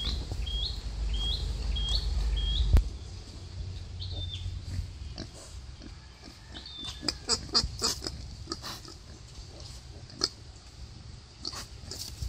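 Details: Wild boar in labour, delivering five piglets, gives deep rumbling grunts, loudest in the first seconds. A repeated thin high chirp sounds several times early on, followed by clustered rustling and clicking.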